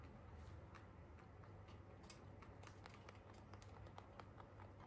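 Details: Soft, rapid crunching of free-roaming Holland Lop rabbits chewing hay, over a low steady hum.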